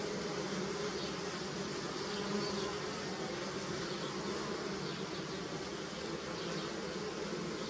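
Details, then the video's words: A steady, low hum of many bees buzzing together at flowering willow in early spring in Europe, collecting nectar, droning without pause. "Bees Buzzing Sound, Early Spring - Bee Sound Effect"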